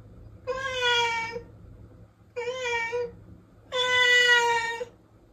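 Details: Protected domestic cat meowing indoors: three clear, drawn-out harmonic meows, each about a second long, spaced roughly 1.5 seconds apart, the last one the loudest and longest, over a quiet low hum.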